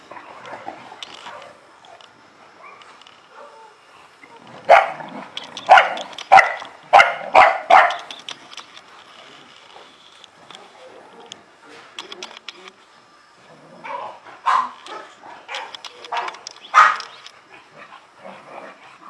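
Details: Barking from an Illyrian Shepherd, the Balkan livestock guard dog kept in Albanian lands: a quick run of six or seven gruff barks midway, a quiet stretch, then a second cluster of barks, with faint ticking sounds throughout.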